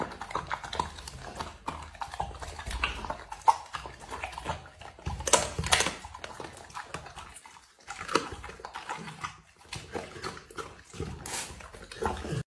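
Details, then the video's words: A dog eating food, recorded close: uneven runs of crunching, licking and smacking bites, louder clusters broken by brief silent gaps, in a quiet indoor room. "dog eating food"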